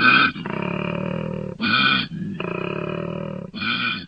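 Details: A koala in Australia bellows in deep, rasping, pig-like snores broken by brief, harsher bursts.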